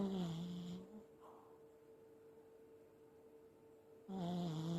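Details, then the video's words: Elderly Pomeranian snoring in its sleep, a dog that also sleep-talks and paddles its legs as if running in a dream: low rasping snores at the start and end, separated by a quiet three-second pause, indoors. "おじじポメ いびきをたてる"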